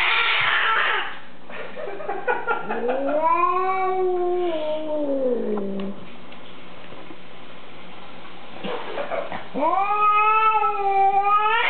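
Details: A female cat, hostile to a visitor and later shut behind a living room door, gives long drawn-out wailing yowls that rise and fall, two main howls several seconds long with a rough hiss-like burst at the start.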